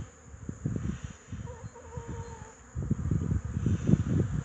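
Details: Wrzosówka line honey bees on 8 March 2015, foragers bringing in pollen. Dense, low buzzing fly-bys crowd together, with a thin steady tone faintly in the background midway through.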